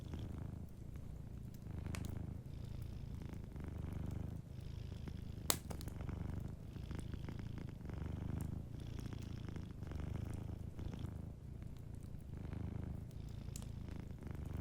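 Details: Soft purring from a sleeping cat, a deep continuous rumble that swells and fades in regular breaths, with occasional fireplace crackles and one loud pop.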